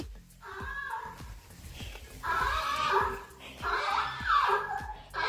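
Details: On a farm, a young donkey answers its owner's affectionate talk with hoarse, wavering calls in several drawn-out bursts, her fond chatter running between and over the calls.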